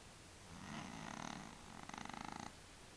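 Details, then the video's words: Willy, a male cat with sinus problems, makes one drawn-out snoring breath that rises into a fluttering, rapidly pulsing rattle before fading. "Kater schnarcht"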